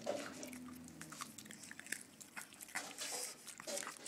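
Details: Arenita, a pet Pug that loves treats, eating a sweet: sharp, irregular crunching and biting clicks that come in quick bursts, with a faint low hum underneath.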